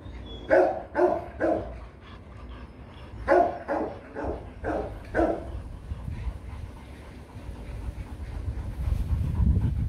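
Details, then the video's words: Rottweilers Loki and Siro mating: a run of loud, rhythmic breathy pants, then fading into low rumbling background noise over the last seconds. "Lấy giống chó: Ngã ngửa mấy lần mới phối giống xong Loki &Siro mating"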